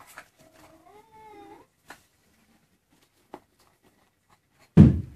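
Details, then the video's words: Maine Coon kitten, 23 days old, indoors, giving a drawn-out meow that wavers then rises at the end, followed by a few soft clicks and a loud thump near the close. "Chatons maine coon 23jours!"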